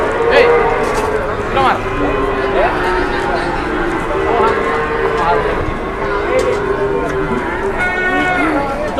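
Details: Large jumbo cattle at a livestock weighing scale in Indonesia. Drawn-out, low, harmonic moos swell and fade over several seconds, heard beneath constant chatter from people, clattering and general crowd noise.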